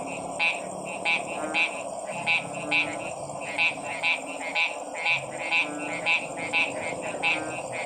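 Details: A frog gives short, bright croaks at a steady pace of roughly two per second, each a clipped pulse standing out over a constant hissing chorus of other calls.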